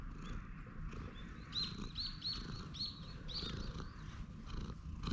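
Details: Stray cat lounging on a bench purrs while being stroked; steady low rumbling purr throughout, with faint high chirping bird notes repeating above it between one and four seconds.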